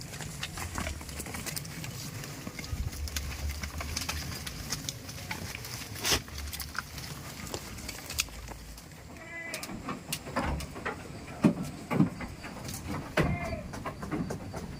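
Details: Farm goats kept in a village, heard giving a few short harmonic bleats near the end, around the tenth and thirteenth seconds, over steady low rumbling and scattered clatter and knocks.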